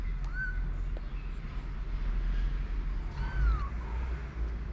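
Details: Young kittens, four weeks old, out of their box as a ginger boy plays and siblings eat: two thin, high meows, a short one early and a longer downward-sliding one later, over low steady rumble.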